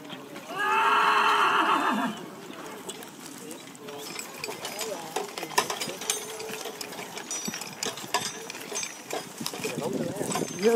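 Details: Belgian draft horse at a plowing day organised by a draft horse association in Nederokkerzeel, Belgium, on 27 March 2022: one loud, harmonic whinny lasting over a second, followed by clattering, voices and field noise.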